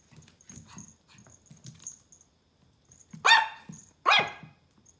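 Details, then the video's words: Pomeranian puppy indoors barking at a ball: two sharp, loud, broadband yaps about a second apart near the end, after quiet shuffling and faint household noise. "Pomeranian puppy Barking a ball"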